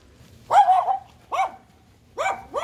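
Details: Dog barking in a village at Almaden, San Jose, California, on 27 March 2022, heard during a walk: four short, sharp barks in three bursts, two close together at the end, over a quiet background.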